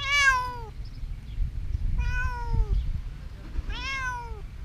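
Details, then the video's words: While hiding, a domestic cat gives three drawn-out meows, each starting bright and sliding gently downward, spaced over roughly two seconds, with low rumbling background noise. "Hiding cat meowing"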